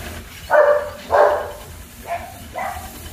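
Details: German Shepherd puppies at a kennel giving four short barks within about three seconds, the first two loud and full, the last two softer and clipped, over a quiet background.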